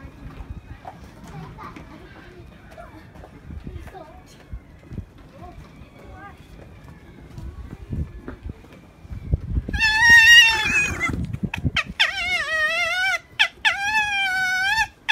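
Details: Angry fox at Zao Fox Village, Japan, in December 2016, during a fight. Murmured voices and faint outdoor bustle come first, then loud, harmonic, drawn-out screeching wails with wavering pitch, several in quick succession near the end.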